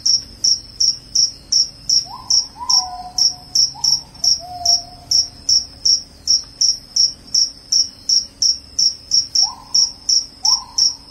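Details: Cricket calling loudly, used to scare away rats and lull listeners to sleep; crisp, evenly spaced shrill chirps roughly three each second, with faint lower sliding tones in the background.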